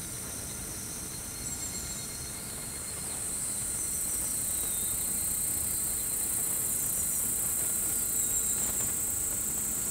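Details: Evening cicadas (higurashi) singing in an evening insect concert in Japan, July 22, 2020: high shimmering chorus with repeated descending trilled phrases over a steady background hiss.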